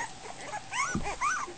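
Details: Goldendoodle puppy about a week old, confused at dinner time, giving two short high whining squeaks that rise then fall, with a soft thump between them.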